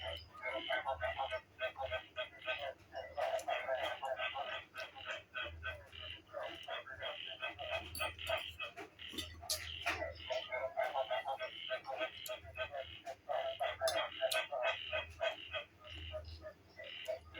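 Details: Recorded frog calls played as background music instead of mor lam while a person dances and eats indoors; busy, overlapping croaks pulse about three times a second throughout, with occasional voice and mouth sounds.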